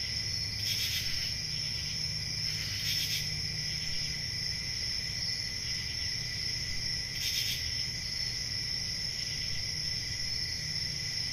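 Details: Continuous high cricket trilling on a calm country summer night, a sustained shimmering chorus broken by three short brighter bursts, over a quiet low background rumble.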